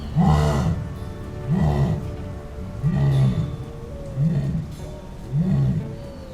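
Jaguar giving deep, hoarse grunts repeated roughly every second and a quarter, like a saw.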